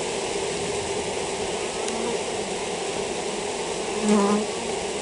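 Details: Colony of honey bees affected by European foulbrood gives a continuous even drone, low and unbroken, rising slightly in one short swell near the end.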